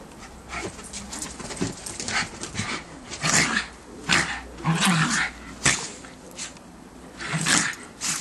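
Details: Two schipperkes playing in fresh snow in December 2008 give short rough barks and growly bursts, irregular and about a second apart, loud then fading, with rustling and scuffling from the romp between calls.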